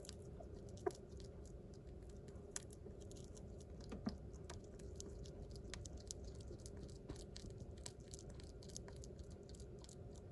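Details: A pet sugar glider chewing food with its back teeth, with soft, irregular crunching and sharp little clicks against a low, steady hum.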